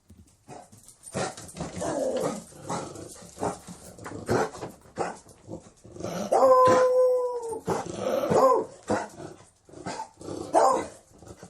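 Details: Beagle giving a run of short, loud barks and yelps, with a drawn-out whining howl near the middle, in irregular bursts separated by brief pauses.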